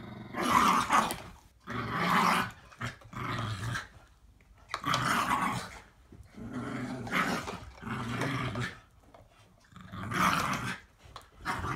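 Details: Two dogs, a 7-year-old Patterjack and an 8-month-old Staffordshire Bull Terrier pup, playing tug of war indoors; bursts of rough, throaty growling about a second long, repeated roughly every two seconds with short pauses between.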